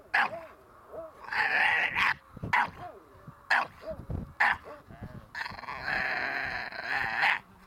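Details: Ares the Staffordshire Bull Terrier puppy during protection training: a few sharp barks, then longer, strained harsh bursts, with whiny yelps and a handler's voice underneath.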